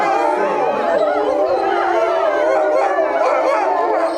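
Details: A pack of Eurasian wolves at Tama Zoological Park, Japan, howls together, long wavering tones overlapping in a rising and falling chorus.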